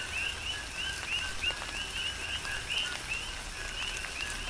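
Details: On the Big Island of Hawaii, coquis sing through a rain shower: quick upward-sliding chirps paired with lower notes, about three per second from several frogs, against a hiss of falling rain and drips.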